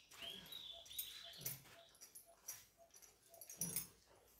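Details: Labrador retriever having coconut oil rubbed into its coat before a bath: a soft, high, thin whine that rises and then holds level, followed by faint whimpers amid rustling and a man speaking Hindi.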